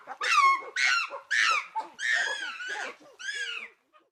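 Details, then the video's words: Chimpanzee giving a rapid string of wavering, harmonic whimper-like cries, each falling in pitch and lasting around half a second, run closely together over four seconds in a small indoor-sounding space. "Chimpanzee sounds"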